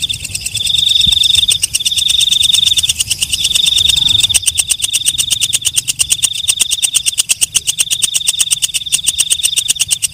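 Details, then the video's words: Night-singing walang kecek katydid: bursts of a shrill, high, sizzling buzz for the first four seconds, then a long, rapid series of rhythmic clicking pulses over a continuous high whine. "Suara Walang Kecek/ Belalang Malam"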